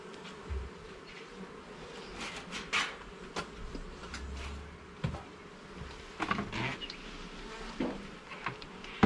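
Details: Garden beehive opened for inspection, its honey bees giving a continuous low droning buzz while frames and levels are worked through; frequent sharp taps, scrapes and clacks of handled equipment cut across the hum.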